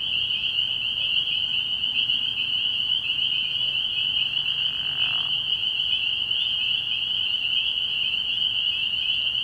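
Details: A frog pond at night in early spring, packed with calling spring peepers: an unbroken, high, shimmering wall of peeps, plus a brief soft whoosh near the middle.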